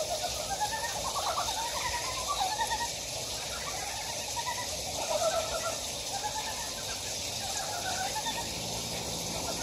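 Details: Frog calls in a stream valley of Gyejoksan, Daedeok-gu, Daejeon, South Korea: overlapping pulsed, slightly rising croaks from multiple frogs, strongest near five seconds, under a persistent rushing-water hiss.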